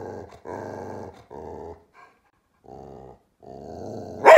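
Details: Grumpy dog having a bad day, howling in drawn-out, wavering moans in several bursts of about half a second to a second, with short pauses between them and a sharp noise at the end.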